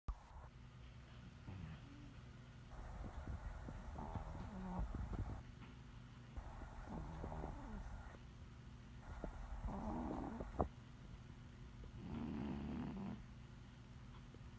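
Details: Betty, a 20 lb house cat taking a nap, snores softly in low, breathy rasps that come in slow bursts every two to three seconds, with quiet stillness between breaths.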